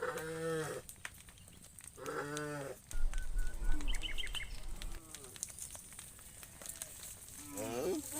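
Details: Cows roaming in the fields, one calling its friend: two drawn-out, deep, harmonic moos close together, followed by scattered rustling, a few faint chirps and some background noise.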